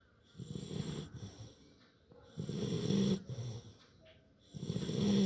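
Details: Labrador Retriever puppy asleep after playing, snoring loudly: low rumbling breaths swelling and fading in three uneven bursts, with a faint hiss on each inhale.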